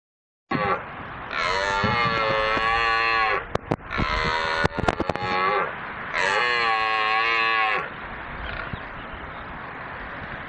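Three drawn-out, rich, reedy calls from an elk hold a fairly even pitch for a couple of seconds each, serving as a mating call. Sharp clicks and knocks sound between the second and third calls.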